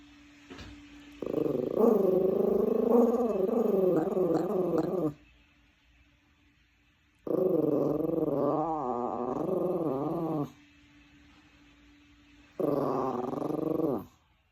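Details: Domestic dog protesting against the vacuum cleaner with a rumbling growl song: three long, rough, harmonic growling bouts of three to four seconds whose pitch wobbles up and down, with quiet pauses and a low constant hum between them.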